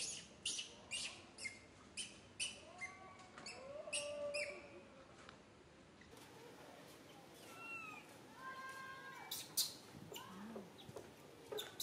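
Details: Little monkey Santo cries in a bad mood while mother Sara ignores him: repeated thin wailing squeals, rising and falling, in quick bursts about every half second, then longer drawn-out whimpers, with clicks and rustling.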